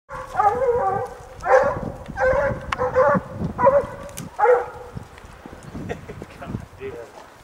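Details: Hunting hounds baying up a mountain lion in the rocks: bursts of harmonic, bawling bays from several dogs, each about half a second long, coming in a ragged run before fading to quieter yips near the end.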